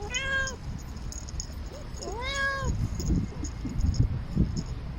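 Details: A normally very quiet domestic cat walking along a city wall, calling for love: two drawn-out, wavering meows, the second longer and arching up then down, over steady low outdoor rumble.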